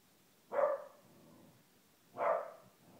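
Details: A 1-year-old female corgi gives two short, sharp barks about a second and a half apart while trying to get her blind brother to play.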